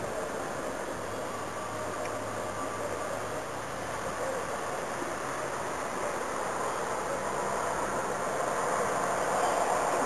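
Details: Steady broadband rumbling noise like a moving vehicle or train throughout, with no animal voice.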